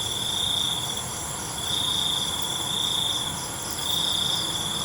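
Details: Night crickets chirping, with long, even, high buzzing trills that pause briefly before starting again, set against a constant background of thin, shrill insect noise.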